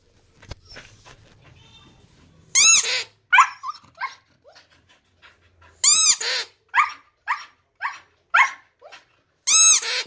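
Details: Siberian husky howling and "singing": bursts of loud, harmonic yowls with rising-then-falling pitch, interspersed with shorter yips and quiet gaps, no other clear sounds.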